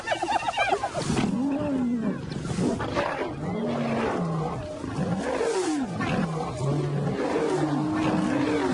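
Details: Wild lions roaring and growling in the bush, several overlapping arched, moaning calls rising and falling in quick succession over a noisy outdoor background.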